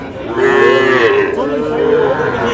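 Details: A prized Sahiwal breed bull calf at a Noakhali-area cattle market, 24 February, gives a long wavering moo lasting almost two seconds. The pitch rises slightly and dips in the middle before trailing off, over a low crowd murmur.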